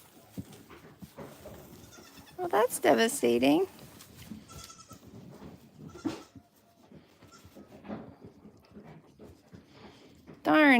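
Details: Single goat on a farm giving one quavering bleat, about a second long, amid a quiet background with faint rustling and a sharper rising call at the very end.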